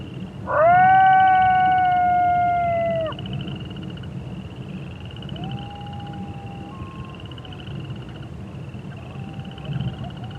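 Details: Coyote howling at night on a prairie: one long, clear howl that sweeps up sharply, holds steady for over two seconds and drops at the end, then fainter, shorter howls, over a continuous pulsing chorus of frogs and toads.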